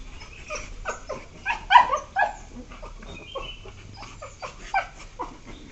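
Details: Two one-year-four-month-old Beagles playing with each other indoors, recorded 12 September 2021: a busy run of short, sharp yelps and yips, loudest around the second second, with softer whimpering yelps continuing in bursts.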